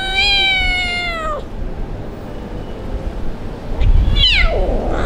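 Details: Abandoned kitten crying, afraid of other cats on its first time living on the street: a long, sustained high meow sliding downward, then after a pause a shorter, rising-and-falling cry amid rustling and low rumble.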